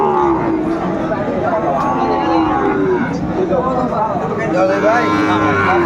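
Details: Sahiwal bull calves at a crowded cattle market on 9 January 2025. Drawn-out, low, harmonic moos sound through steady crowd chatter and bargaining voices.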